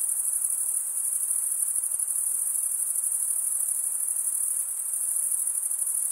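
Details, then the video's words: Crickets stridulate in an even, unbroken high-pitched shrilling that barely varies in loudness, set against a faint background hiss. "Most relaxing cricket sound for 8 hours"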